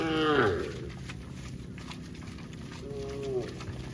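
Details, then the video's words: Cow giving a short, strong moo at the start that drops in pitch, then a softer, higher moo near the end, with continuous low background rumble between them. "Cow funny mooing sounds"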